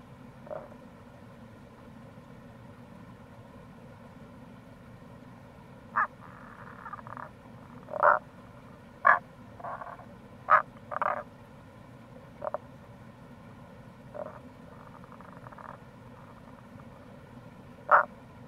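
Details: Tago's brown frog (Rana tagoi) calling in April near a gorge on the Kamo River, Itoshima, Fukuoka, Japan. Short, low, grunting croaks come singly and in small clusters at uneven gaps. A steady low rushing sound runs underneath throughout.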